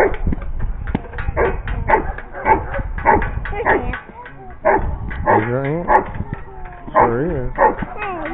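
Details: Giant Schnauzer giving loud, rapid barks mixed with a man's voice. Midway through, several wavering, rising-and-falling howl-like tones break up the barking.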